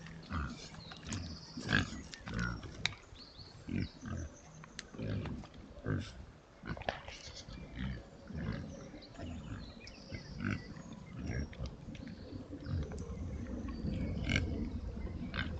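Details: Oxford Sandy and Black pigs, a historic British rare breed, rooting in woodland on a trail camera: repeated low grunts in short clusters, occasional higher squeaks, rustling and crackling underfoot.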